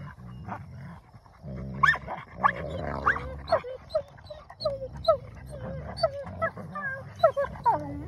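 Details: Wolfdog puppies contest a possession with continuous low growling, snarls and frequent high whining yelps, dominance display between two pups, busy and overlapping throughout.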